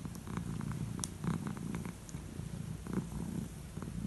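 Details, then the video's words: Elderly calico cat enjoying head strokes before bed, purring continuously in a low, throbbing rumble that swells and eases with its breathing, faint rustling of hand on fur. "Enjoying head strokes before bed!"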